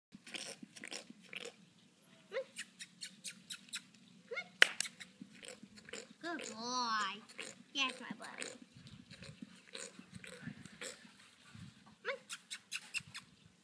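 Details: A horse flaps its lips on command in quick, wet popping bursts that sound like rude raspberry or farting noises.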